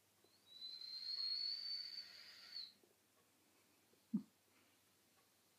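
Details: Simon the dog, asleep in the afternoon with his nose resting on his feet, lets out a thin, high, steady whistle through his nose lasting about two seconds, followed later by a brief soft snuffle.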